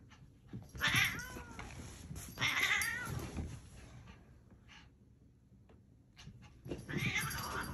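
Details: Pet cat in a funny compilation giving two drawn-out wavering meows around one and two and a half seconds, then a softer cry near the end, with room noise and a faint background hum.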